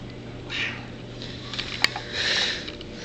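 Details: Domestic cat Coco making morning demands indoors: two short, high meows about two seconds apart, the second longer, with a faint click between them; a person asks if she wants water.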